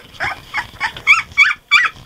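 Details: A frustrated three-week-old Golden Retriever puppy fusses with a run of short, high, whiny yips after its whelping-bed rail was removed to stop it climbing out again.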